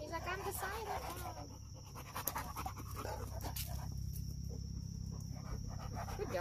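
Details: A pup that wants to be friends with a dog that takes its guarding job seriously: quick, breathy panting about three times a second, with a person speaking early on over a steady low rumble.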